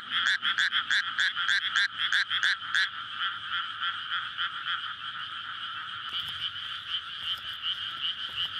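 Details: Frog chorus at night in a flooded rice paddy in May, before rice planting, courtship calling after the fields are filled; dense rapid croaking with a loud nearby caller pulsing about three times a second over a steady two-band drone, recorded on a SONY PCM-D100.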